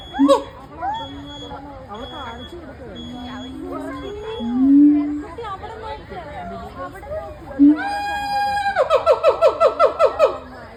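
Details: At the Cincinnati Zoo, a gibbon's long tonal notes rise through visitor chatter and end in a quick, accelerating train of bright, repeated whoops.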